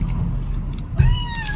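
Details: Wary stray kitten hiding under a car gives a short, clear, thin meow near the end, held level with a slight fall, over a steady low engine-like rumble.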